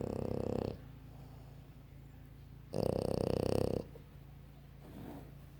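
A French bulldog snores in loud, rattling bursts, each lasting about a second, roughly three seconds apart.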